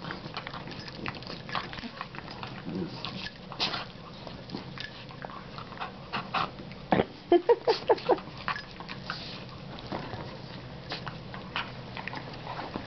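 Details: Two foster Dachshunds, one a double dapple with sight problems, play-wrestling indoors as they do every night; scuffling and snuffling throughout, then a quick run of short, repeated yipping grunts midway, with a woman talking softly.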